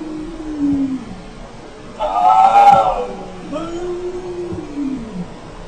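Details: Cats talking to each other: two drawn-out harmonic meows, one rising and falling near the middle, another arching downward toward the end, with faint background hum between them.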